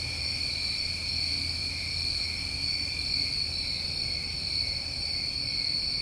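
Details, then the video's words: Crickets recorded on a New England summer night, their stacked high shrill trills droning on evenly for the whole stretch, with a quiet low rumble underneath. "Over 1 Hour Of Tinnitus Masking With Crickets"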